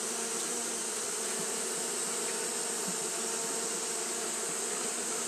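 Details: On a hot day, Japanese honey bees keep up fanning behaviour, giving a constant, level buzzing drone with layered low hums beneath a bright hissing wash, no pauses or changes across the stretch.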